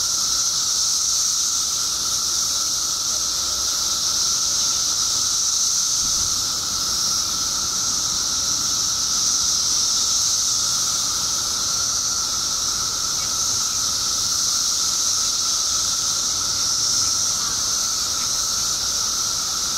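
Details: Illinois periodical cicadas, out after 17 years underground in their billions, keep up a seamless shrill wall of sound, a hissing roar layered over a level droning whine, swelling slightly at times.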